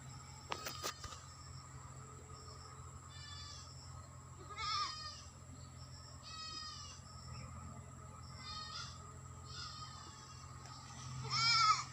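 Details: Several goats at a farm in West Bengal, India, calling faintly: short, shaky bleats scattered every second or two, some overlapping, over a constant low electrical hum, with one louder bleat at the end.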